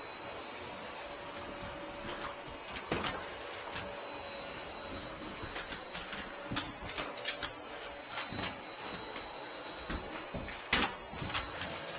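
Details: A quiet indoor room with scattered sharp clicks and knocks over a faint steady hum and thin high tones; no animal sound is heard.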